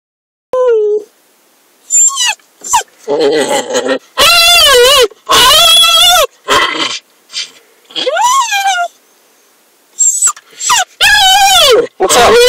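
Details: A dog in a car gives drawn-out, wavering whines and yowls that bend up and down in pitch, in bursts; the owner suspects he wants out.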